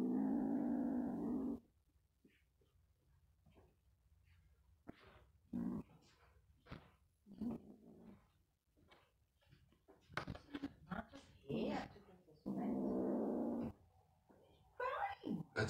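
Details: Young male farm kitten defending his toy with a dog-like growl: a steady, gravelly rumble at the start and another near the end, with a woman talking, handling noises and clicks in between.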